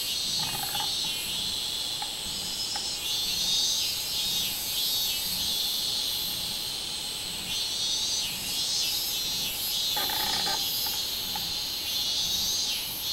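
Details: Minminzemi, the robust cicada, singing on 24 July 2016: a loud, dense, shrill buzz pulsing in regular surges, with brief clicking bursts breaking through now and then over a constant high hiss.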